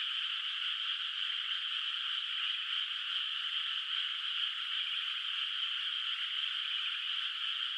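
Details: Countryside rice field under moonlight, water not yet planted, full of calling frogs at night; countless high rattling trills overlap into a constant, uniform chorus, unbroken from start to end.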